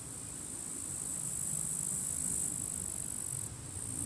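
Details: Sunny summer day at the end of July, grasshoppers contending in dry grass beside a forest; an unbroken high-pitched insect hiss rises in loudness, then dips briefly, with a low murmur of strong wind beneath.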